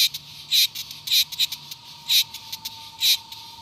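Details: Cicadas singing: loud, harsh buzzy bursts, each about a fifth of a second, come at uneven intervals with softer clicks between them. A faint steady high tone hums underneath.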